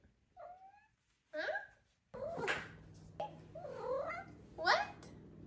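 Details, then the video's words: Five-month-old female Maine Coon kitten indoors giving several short wavering meows and chirps, with a woman's voice between them and a faint hum. "5 Month Old Maine Coon Kitten Makes Cute, Funny Sounds"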